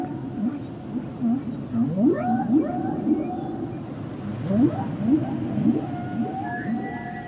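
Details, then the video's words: Humpback whale song with repeated rising moans, wavering mid-pitch tonal wails and higher drawn-out whistles toward the end, phrases recurring about every second over constant underwater hiss. "Sounds and Songs Of The Humpback Whales"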